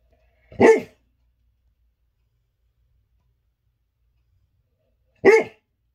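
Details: Dog barking while dreaming indoors: two short, muffled single woofs about four and a half seconds apart, with silence in between.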